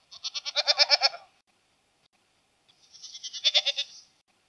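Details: Goat calling twice: a long tremulous bleat of rapid pulses, a pause of about one and a half seconds, then a second, slightly softer wavering bleat; quiet background.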